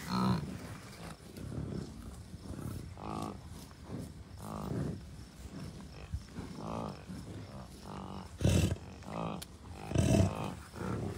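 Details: Wild American bison, cows, bulls and many calves, at a Commerce City, Colorado wildlife refuge on June 2, 2022; steady series of low, throaty harmonic grunts from multiple animals, two louder bellows late on, wind noise throughout.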